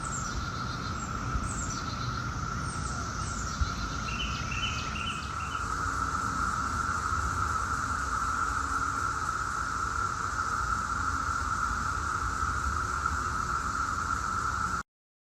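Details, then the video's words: Brood X periodical cicadas, the 17-year cicada, emerging in 2021 at Chantilly, Fairfax, Virginia, in suburban Washington, D.C.: a steady, unbroken droning chorus holds one pitch throughout, while a few high bird chirps break in over the first seconds. "Brood X sound 2021"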